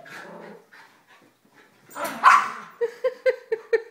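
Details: Morning play indoors among three pet dogs, a Mini Schnauzer, a female Basset and a young Yorkie: low grumbling, then a loud bark, then quick high yips repeated about four times a second, with no voices over them.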